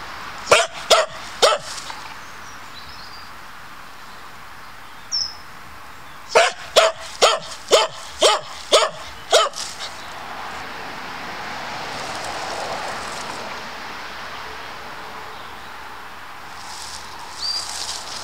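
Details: Dog on woodland patrol guarding its boundaries, giving three quick sharp barks, then after a pause a burst of seven evenly spaced barks, followed by quiet outdoor ambience with faint distant noise.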